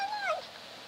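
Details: Kitten trying to meow while eating, fed in a cage away from a dog: one very short, sharp, high mew sliding downward, then quiet.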